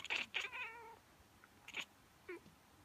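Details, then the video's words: Indoor female cat reacting to someone sneezing or pretending to sneeze, something she does every time; a clear drawn-out meow that slides downward, followed by a couple of short, sharp chirps. "Cat - Strange reaction to human sneeze"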